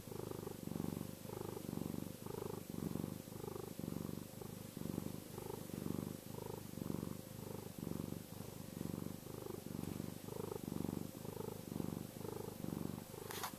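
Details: Contented, reassuring purring by Chester the cat: a close, deep rumble that swells on each breath in a steady rhythm of roughly one cycle per second, ending with a brief scratch.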